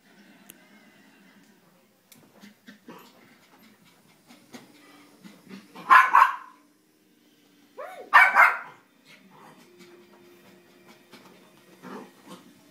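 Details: Eight-month-old female Havanese puppy barking during excited play indoors: two short, sharp, broadband barks about two seconds apart, with quieter shuffling and a steady low hum between them.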